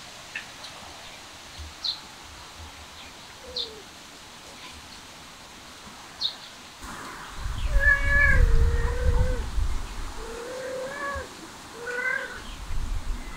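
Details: Cat eating grass outdoors, giving several drawn-out, wavering meows in the second half with low rustling and munching noise underneath; before that, only faint, scattered bird chirps in the background.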